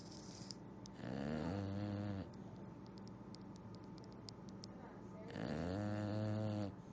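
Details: An English Bulldog, tired after exploring and eating ice, snores, each low, rattling breath lasting over a second, about four seconds apart.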